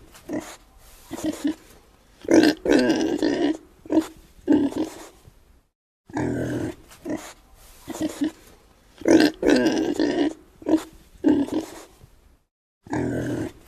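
A pig grunts in rough, throaty bursts, several in quick succession, with brief pauses between.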